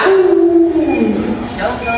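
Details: Pet Alaskan Malamute Luoluo, during a hide-and-seek game with its owner, utters a level moaning howl that drops in pitch after the first half-second and then trails off, with faint other sounds behind.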